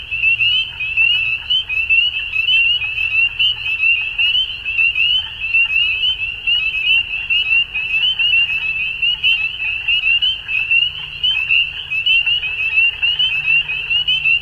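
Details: At dusk, a massed frog chorus keeps up an unbroken high trilling made of countless quick upslurred notes, with a soft low-pitched drone at times in the background.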